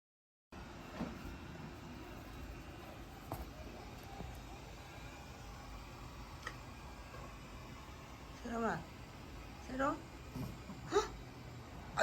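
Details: Mochi, a pet cat in a multi-cat home, uses her pretty voice when she wants something; after a stretch of quiet indoor room noise and clicks, two or three drawn-out, arching meows sound near the end.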